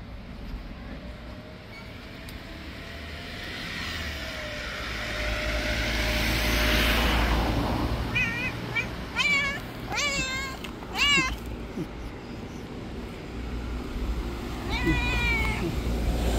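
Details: Stray street cats, a white cat described as an angry bully among them, calling outdoors; several short harmonic meows around the middle and a later one, over steady traffic rumble.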